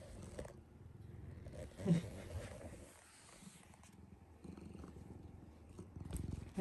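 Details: Pet cat Hinoki purring softly while cuddling with the father of the home at midnight; a quiet, continuous low rumble with small swells in loudness and occasional light rustling.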